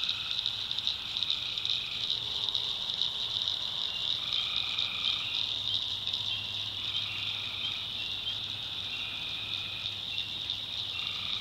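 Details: Swamp tree frogs at night in the North Carolina backwoods, a ceaseless high buzzing trill chorus layered with several overlapping, sustained lower tones that start and stop every couple of seconds; a soft low drone persists.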